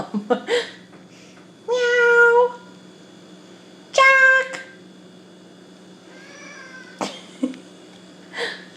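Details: Jack Bauer, a house cat upset with its owner over bugs being killed outside, lets out two strong sustained meows about two seconds apart, then softer fainter mews and clicks over a low constant indoor hum.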